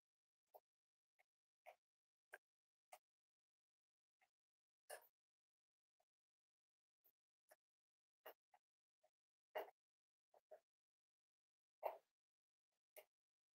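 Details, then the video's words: Cavalier King Charles Spaniel puppies, almost 8 weeks old, in a breeder's family home, giving short, sharp yips and barks at irregular intervals, about two dozen a minute, in an otherwise quiet indoor room. "Cavalier Puppies Live: Almost 8 Weeks Old!"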